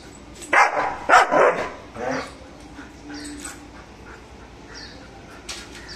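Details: German Shepherd named Mr. Bro guarding with aggressive barking: two loud, closely paired barks near the start, then a weaker bark, followed by quieter sparse sounds and faint high chirps.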